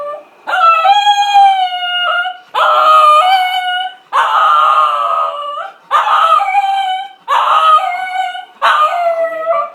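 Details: Shih Tzu dog howling because it wants a walk, a loud series of six long, rich, harmonic howls, each about one to one and a half seconds, repeated roughly every one and a half to two seconds with brief pauses between.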